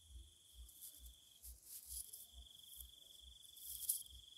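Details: Thai insects calling in the night time: a sustained shrill trill that breaks briefly and resumes, with high shimmering overtones. Dull low bumps repeat about twice a second beneath it.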